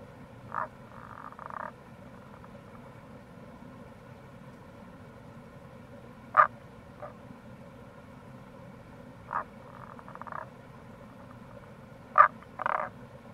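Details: April recording of Rana tagoi near a gorge on Itoshima's Kamo River, Fukuoka, Japan: repeated short pulsed croaks and rattles alternating with sharp clicking notes roughly every three seconds, over an even low-pitched background rush.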